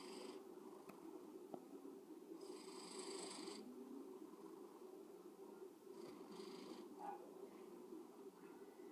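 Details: A domestic cat snoring softly: faint, breathy rasping bursts near three and six seconds rise over a steady low hum in a quiet room.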